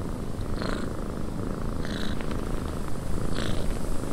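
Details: Soft, continuous low purr from a cat in a windy cabin, half buried in a steady wind roar, with occasional brief higher whooshes.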